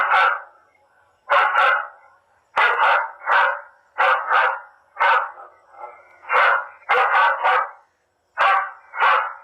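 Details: Recorded dog barking played to drive wild pigs away from crops: harsh barks in pairs and tight clusters, with short pauses between the groups.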